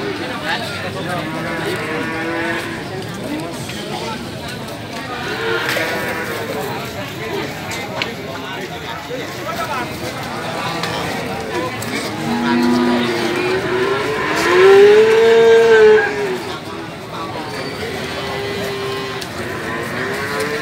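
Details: Pegon feeder cattle kept for fattening, at the Gorang Gareng cattle market in Magetan: several drawn-out, wavering moos rise and fall, the loudest and longest near the end, over steady crowd chatter and market bustle.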